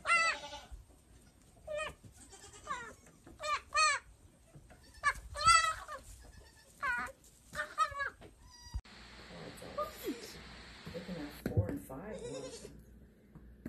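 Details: Baby goats, playful and jumping around, give a run of high, quavering bleats with rich overtones, spaced roughly every second for about nine seconds, then give way to rustling and handling noise.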